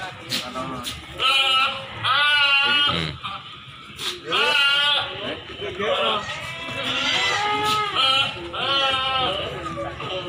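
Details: Breeding does and kids for sale at Pasar Hewan Silir Semanggi, Solo: a run of quavering, harmonic goat bleats repeated every second or two, overlapping one another, with people talking throughout.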